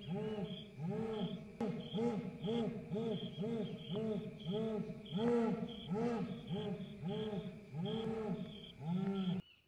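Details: Jaguar in Goiás giving its esturro roar: a steady series of deep, hoarse, sawing grunts, about two per second, continuing for nearly ten seconds before stopping abruptly, over a constant high insect drone.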